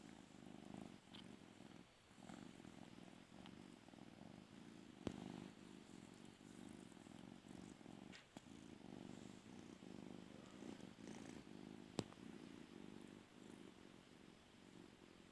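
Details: Domestic cat that wants to sleep on a person's bed, purring steadily in a low rumbling pulse with short pauses around two and eight seconds, indoors with a faint background hiss.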